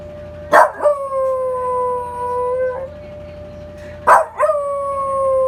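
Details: Male long-legged Welsh Corgi howling in response to the Memorial Day siren in Korea: a steady, drawn-out tone held for about two seconds, then a second howl starting near four seconds, each opening with a sharp louder onset.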